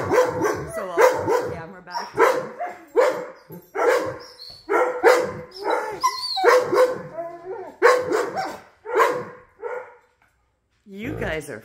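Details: Several wolfdogs with a wolf puppy vocalise inside a house after jealousy over petting sets off a group howl. Rapid, repeated, harmonic yelping howl notes come about twice a second, then pause near the end.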